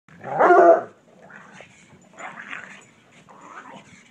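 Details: Bloodhound and pug playing together in a yard; one loud, harmonic bark-growl near the start, then softer scattered grumbles and snuffles over a steady low hum.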